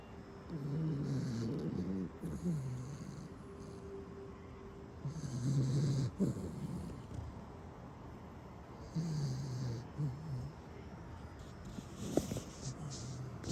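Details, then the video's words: Welsh Corgi snoring while asleep, deep rumbling breaths with buzzy, rattling snores in bursts roughly every few seconds, low and steady. "도도 코골이"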